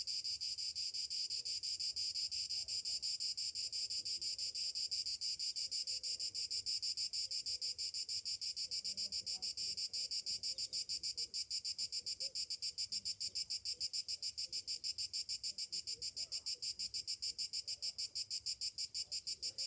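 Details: Morning cicadas in summer keep up a dense, piercing metallic whine, rapidly pulsing and steady in loudness across the whole stretch.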